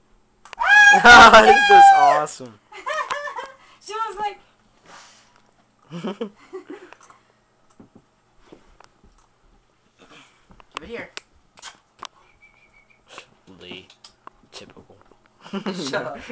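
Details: Pet Siberian husky playing indoors with its owners lets out a loud, wavering, harmonic howl-like yowl lasting over a second, followed by shorter rising and falling vocal sounds mixed with people talking and laughing in a small room.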